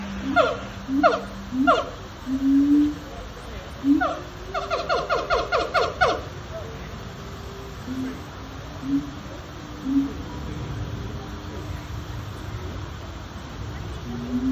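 Siamangs howl in loud, harmonic bursts, with a quick run of barking notes midway through.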